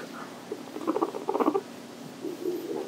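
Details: Pet guinea pig kept at home, making soft, low chattering and squeaking bursts in quick uneven runs, with faint rustling in a quiet room.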